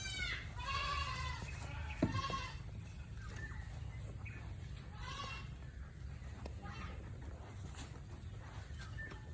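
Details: Domestic goat described as very affectionate, giving wavering, strongly harmonic bleats: a long one at the start, then shorter bleats around three seconds in, with a steady low hum and faint background sounds.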